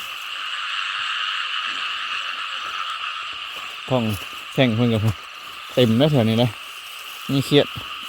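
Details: Frogs croaking loudly at night in rice fields flooded after heavy rain, during frog spotlighting and catching: four bursts of deep, harmonic, rapidly pulsed croaks over a steady high buzzing chorus, with brief quiet gaps between bursts.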